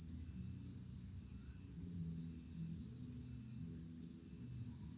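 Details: Cricket chirping, said to drive away rats: high pulsed trills repeated about twice a second, steady and insistent, with faint low hum beneath.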